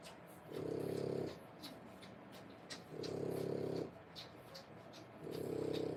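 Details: Three-week-old French Bulldog puppies born 1/10/25: three buzzy, low rasping breaths, each lasting under a second, spaced about two seconds apart over soft background hiss.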